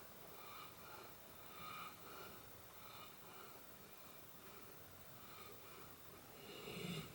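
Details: Pet dog snoring oddly while asleep in a small room, a quiet wheezy rasp rising and falling in steady breaths about once a second, louder at the end.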